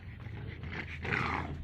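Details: Puppies growling, a low rough rumbling growl held throughout, swelling louder and harsher around the second half.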